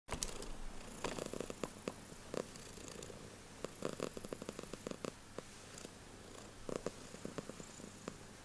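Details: Domestic female cat purring loudly indoors: a steady low rumble with soft broadband clicks and brief ticking noises scattered throughout.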